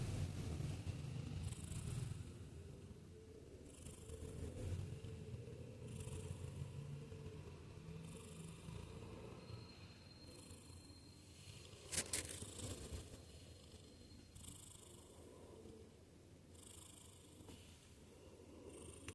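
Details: Domestic cat snoring and purring in its sleep: a deep, continuous rumbling purr rising and falling with slow breaths, one brief rustling sound midway, the room otherwise quiet.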